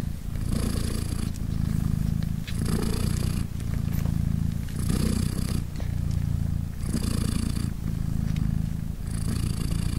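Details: British Shorthair mother cat Polina purring as her three tiny three-day-old kittens nurse; deep rhythmic rumble alternating between a smooth low phase and a brighter, rasping breath roughly every two seconds, five cycles in all.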